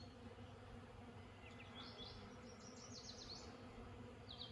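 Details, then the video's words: Bees feeding on lilac blossoms: a steady, low droning hum runs through the whole recording, with faint thin bird chirps in the background. "This is the sound of happy bees!"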